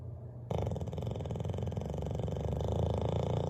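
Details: Sleeping by the fireplace, Bailey the Bulldog breaks a quiet pause with a sudden loud, buzzing, rapidly pulsing snore that holds steady and grows slightly louder.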